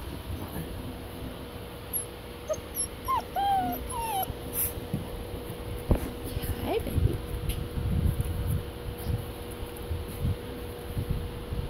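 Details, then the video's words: German Shepherd pups aged six weeks whine in a quick run of curved, high squeaky whimpers midway, followed by soft thumps and a person's voice close by. "German shepherd pups 6wks"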